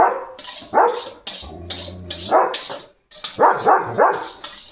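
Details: Early in the morning, a German Shepherd on barking duty gives loud, deep barks in quick bursts after seeing another dog outside.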